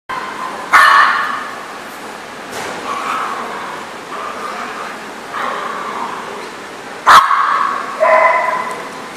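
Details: Dog barking at a dog park, sharp single barks at irregular intervals over a steady background of other dogs' distant barking and yips and general outdoor noise.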